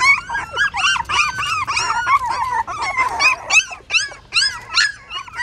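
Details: Hungry newborn puppies suckling at their mother in a stupa of a pagoda, Siem Reap, Cambodia, keep up a continuous crowd of shrill, wavering squeaks and whines. Many voices overlap, some calls bending up and others dropping, in fast irregular pulses.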